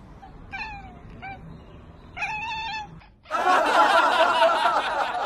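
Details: Domestic cat meowing in short harmonic calls over the first three seconds, with a longer wavering meow near the middle, then abruptly drowned by loud broadband noise and commotion for the rest.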